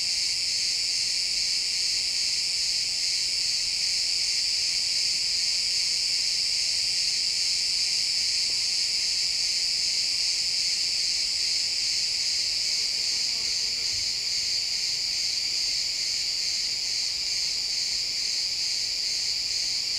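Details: Crickets chirping in a pine forest at sunset, captured in XY stereo; a dense, high continuous chorus of rapid pulsing trills with no pause throughout, steady and even in loudness, nothing else standing out.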